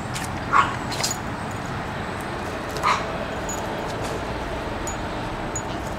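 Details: Dogs at a home breeder in Akron, Ohio, raised indoors, playing; two short, sharp yipping barks about two seconds apart over a steady low room hum, otherwise quiet.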